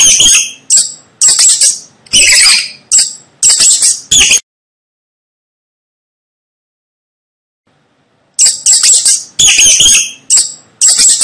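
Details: Rat squeaking in sharp, shrill bursts, each short and high, about eight in quick series, then a four-second silence before another run of similar squeaks resumes.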